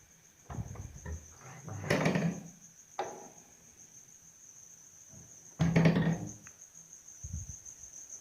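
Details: Insects around a house give a steady, high, continuous trill, broken by loud knocks and thumps.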